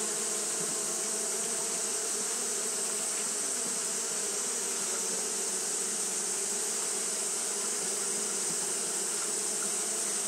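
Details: Japanese honey bees fan without stopping through a hot day, giving a dense, steady buzzing drone with slight flickers of individual wingbeats, set against a constant high-pitched hiss.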